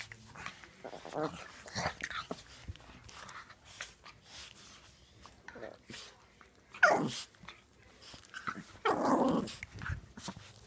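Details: Dog indoors in a small room, giving scattered short grunts and whimpers, a sharp rising yelp near the middle and a longer rough, growling burst toward the end, with faint human murmuring in the background.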